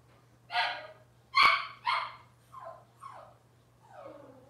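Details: Indoor kitchen-cam recording of Cavalier King Charles Spaniel puppies from Robin's litter: three loud, bright yips in quick succession, then fainter falling whimpers that trail off into a soft, descending whine.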